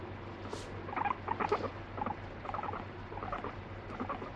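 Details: Pet guinea pig, annoyed when petting stops, biting and urinating on its owner; short chattering squeaks in uneven bursts, some clustered near the middle, over a quiet indoor background with no music.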